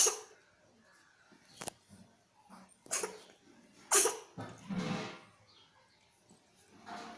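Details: Pregnant cats sneezing indoors: several short, sharp, explosive bursts spread across the recording, the strongest near the middle, with quiet pauses between them.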